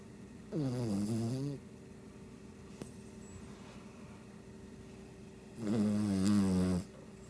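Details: Shih Tzu asleep and snoring: two long, droning snores about five seconds apart, each lasting roughly a second, low and buzzy with a slightly wavering pitch, in a quiet indoor room.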